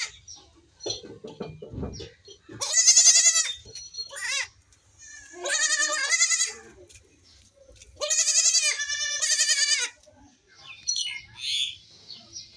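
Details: Baby goats playing and jumping, with a lone kid crying without its mother; long, shaky, high bleats of one to two seconds, three main ones, with a few fainter calls and rustling between.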